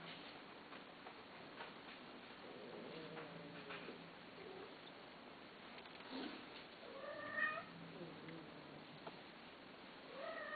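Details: Cat offered for sale, heard indoors giving several high, thin meows spaced a few seconds apart. The calls are rising-then-falling and fairly soft over a steady room hiss, with faint background clicks.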